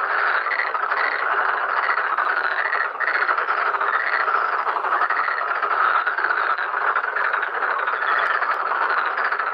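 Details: Black-spotted pond frogs crowd a breeding pond, mating and spawning; countless males croak together in a thick, unbroken chorus, with faint pulsing swells in the rattling calls.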